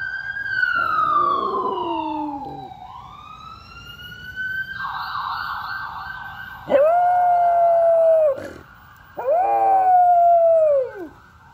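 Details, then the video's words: Pet dog Rex howling along with an ambulance siren: the siren sweeps up and down, then two long, steady, tonal howls of about two seconds each rise sharply, hold level and drop away at the end. "Rex howling with an ambulance siren"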